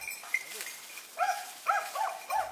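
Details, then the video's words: Hunting dogs hold their distance while barking at a large wild boar during a boar hunt; a run of short, clear barks, about six in quick succession over the last half, with light forest background. "犬が距離を保ちながらイノシシに向かって吠えています。"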